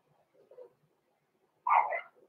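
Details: Indoor puppy pen holding six-week-old blenheim Cavalier King Charles Spaniel puppies Roman and Blue: faint murmuring sounds, then one clear, full, yelping bark near the end.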